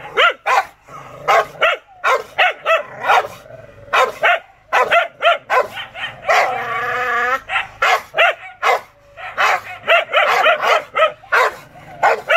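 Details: Rottweiler in a fit of anger, with dense rapid barking broken midway by a sustained whining, growl-like tone, then more fast barks.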